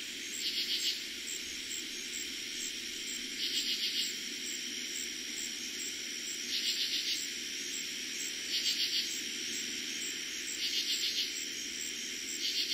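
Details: Katydids at night in eastern Pennsylvania, first summer 2021 chorus: six rhythmic rasping bursts recurring about every two seconds, each a short train of pulses, over a steady high cricket hum.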